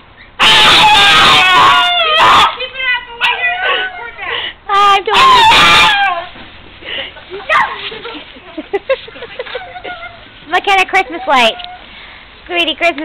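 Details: Pug named Chloe screaming with excitement over snow and a neighbouring dog: loud, shrill, wavering bursts early on, then a string of shorter whimpering yelps that bend up and down, separated by brief pauses.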